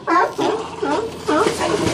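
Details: California sea lions at Old Fisherman's Wharf, Monterey, California, jostling and fighting for resting spots; loud, rough harmonic barks repeated about every half second, with a person talking excitedly nearby.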